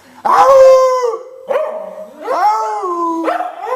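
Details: Singing with its male owner, a Cardigan Welsh Corgi gives a loud howl with a sharp, bark-like start, followed by more wavering howls that rise and then fall away, each held for about a second.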